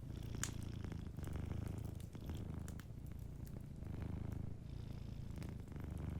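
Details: Gentle purr of a cat sleeping by the fireplace, low and pulsing, rising and easing in breath-length cycles about every second, faint fire crackles scattered over it.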